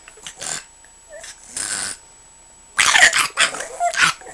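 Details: Pug apparently wanting to be left alone, making a few separate snorting, grumbling bursts, a pause, then a louder cluster of rough, huffing sounds near the end.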